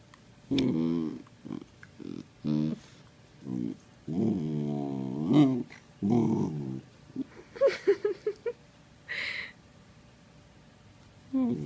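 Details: Male Sheprador puppy, an Australian Shepherd, Blue Heeler and Lab mix, vocalizing indoors while playing: a string of grumbling, harmonic growl-whines with rising and falling pitch, in short bursts, ending with a few quick yips.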